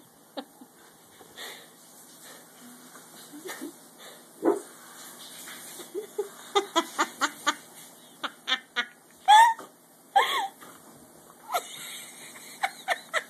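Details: Dachshund, a wiener dog, curious about a clothes basket indoors, giving short sharp yaps and brief nasal whines in scattered bursts, a few louder rising whines near the middle, with faint rustling between calls.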